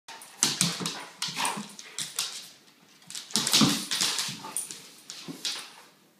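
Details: A Weimaraner mother plays with her 10-month-old pup, giving short, sharp barks and high whimpering yips in irregular bursts.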